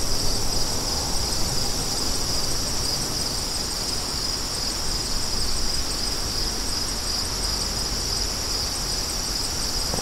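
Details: Rapid high cricket chirps pulse in a dense repeated pattern above a constant low wind rumble.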